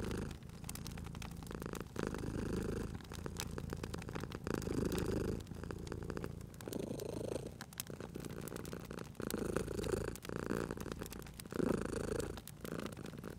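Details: Cozy fireside purring from a sleeping house cat: a low, continuous vibrating rumble broken into breath-length pulses of a second or two, layered under frequent crisp crackles and pops from the burning fire.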